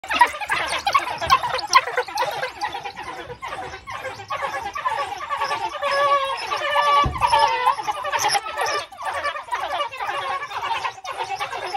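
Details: African wild dogs at feeding time at the Ann van Dyk Cheetah Centre, South Africa: a pack's excited, overlapping high squawks and twittering chirps in a dense, nearly continuous chatter, some notes rising and falling, with brief louder bursts.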